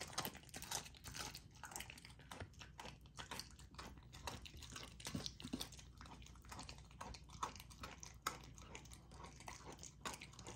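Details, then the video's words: Golden Retriever puppy, female, chewing raw dog food indoors; quieter, rapid clicky bites and tapping crunches follow one another steadily, with a faint low background hum. "Raw Dog Food MUKBANG for my Puppy! ASMR EATING SOUNDS"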